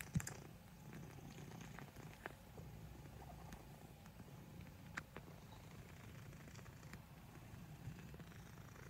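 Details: Purring black house cat kneading with its paws; continuous low, even rumble with faint clicks and soft handling noises over it.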